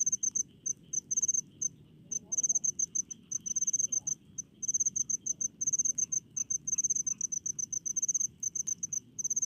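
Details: Crickets calling in rice fields in the countryside: dense bursts of sharp, high chirps repeated in rapid clusters with brief gaps between groups, over a soft low background hum.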